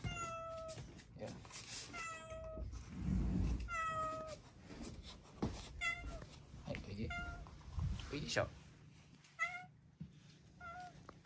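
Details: Rescued kitten indoors in a foster home in Japan, meowing repeatedly: short high harmonic mews, some slightly falling, in quick series, while a woman talks softly to it in Japanese and handling noises rustle.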